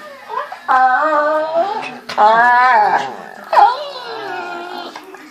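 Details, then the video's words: Pit Bulls playing in bed one morning give three bursts of moaning vocalisation, each a bending, harmonic whine that swells and fades, with quiet gaps between them in a small room. "Pitbull funny sounds in the dark"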